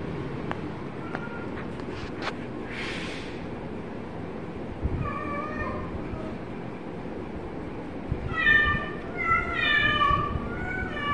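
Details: Kitten mewing: one short meow near the middle, then a quick run of several high, harmonic meows in close succession, with background rumble and a few clicks early on.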